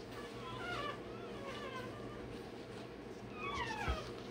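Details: Day-old Rottweiler puppy having its tail and dewclaws done, giving thin, wavering, falling cries in two short bursts over a low hum.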